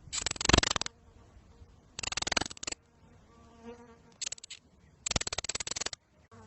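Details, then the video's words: A lizard chatters in four loud bursts of rapid clicks, each under a second long and sounding like a dry, buzzing rattle, with a soft humming background between them. "Have you ever heard a lizard make a sound like this? - Lizard Sound Effects"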